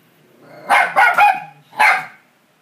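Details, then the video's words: A pet dog barks at the TV: a quick burst of three sharp barks, a brief pause, then one more loud bark, over quiet television sound. "Dog barks at TV"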